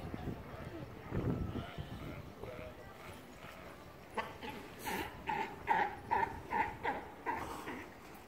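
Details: Immature male Galapagos sea lions in the Galapagos practicing fights for future dominance battles: a run of short, harsh, harmonic barks repeated about twice a second, preceded by lower grunting and splashing.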